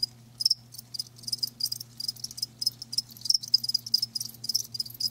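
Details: Bright, high cricket chirps pulse in quick bursts, roughly two or three a second, with a low constant hum behind them.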